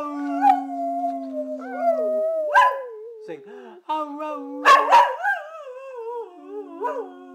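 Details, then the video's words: Brindle Boxer dog singing indoors: long wavering howls sliding up and down in pitch, with short yelping rises and a few breaks, while a person says hello in the background. "Beautiful Brindle Boxer singing"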